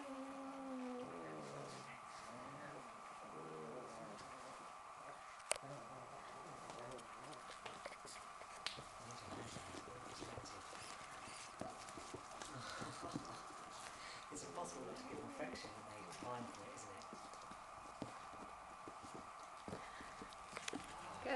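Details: An Italian Greyhound puppy whines in wavering, high little cries over a steady electrical hum.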